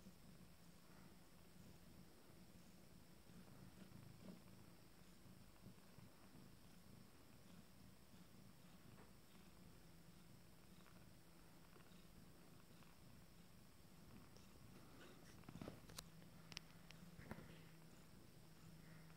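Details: A first litter of 14-day-old kittens and their family at mealtime, with a steady low continuous purr rumbling throughout, quiet indoors, and a few soft clicks and taps near the end.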